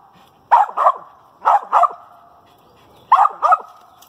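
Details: Female dog baying at a treed squirrel, giving three paired barks, each pair two quick sharp barks, spaced about a second apart, while a steady hum runs underneath.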